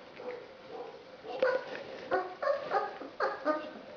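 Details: Basset hound puppies from litter "I" of a Polish kennel, September 2011, indoors: a run of short, high, squeaky whimpers and yelps, five or six in quick uneven succession over a steady background hum.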